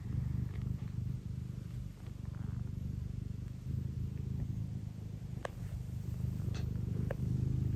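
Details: Contented deep purring from Tino, an affectionate Scottish Fold pet cat, a steady pulsing drone throughout, with a few faint ticks and rustles in the background.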